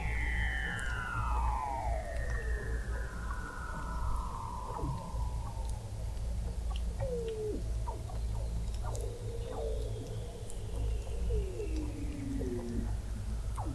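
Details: Under thick sea ice in McMurdo Sound, Antarctica, Weddell seals heard from an observatory 21 m below the ice in November 2017: slow falling glissando whistles, short hooked chirps and overlapping trills above a constant low hum.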